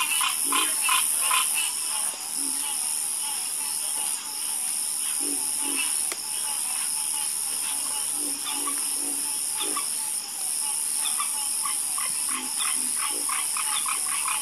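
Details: Several frogs croaking in a loose chorus, clicky repeated calls about two or three per second, a few deeper croaks between, with a continuous high steady tone behind.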